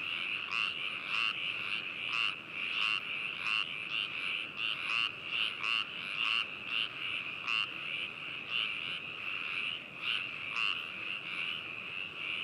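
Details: Binaural recording of frogs in Hakushu, Hokuto, Yamanashi Prefecture, Japan, 4 May 2018: steady trilling chorus overlaid by loud, sharp croaks repeated roughly every half second to second by nearby callers.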